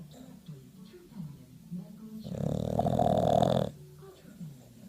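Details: Pet bulldog named Diesel snoring, one long, loud, rasping snore of about a second and a half in the middle, framed by softer snuffling, wheezy breaths.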